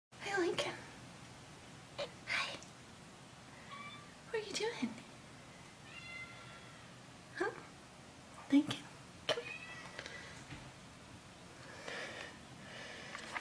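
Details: Young rescued cat waiting outside a bedroom door in the morning with other cats before breakfast; a few soft, short meows with clear stacked harmonics, mixed with a person talking, footsteps and thumps indoors.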